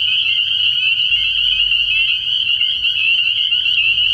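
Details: Crowded pond of spring peepers at night early in the year, sending up a piercing, constant high peeping where individual calls blur together; faint low rumbling sits underneath.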